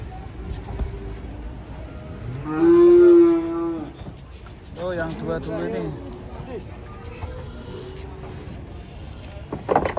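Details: Cattle unloading from a truck: one loud drawn-out moo, then a wavering, quavering second call, over background voices and vehicle rumble.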